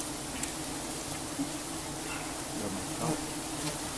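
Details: Giant honey bees in Cambodia, disturbed during a honey harvest, make a steady, low droning buzz, many wings humming together without a break.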